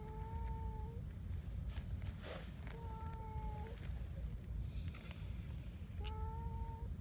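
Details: Black community cat Donchan, the boss cat, repeats a steady, flat, low meow three times about every three seconds while seeking petting, against constant low rumbling background noise and a few clicks.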